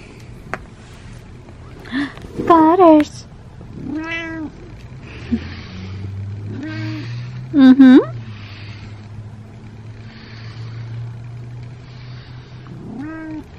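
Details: Male domestic cat meowing while being brushed: a series of clear, wavering meows every few seconds, two louder and longer with a bending pitch, with a woman's soft voice speaking in between.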